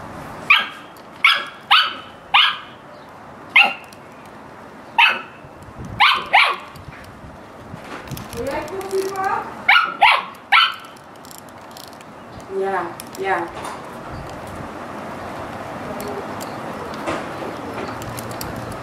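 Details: Dog barking during playtime, with cats around: a quick series of sharp barks in the first half, a few grumbling yips, then fading into background noise.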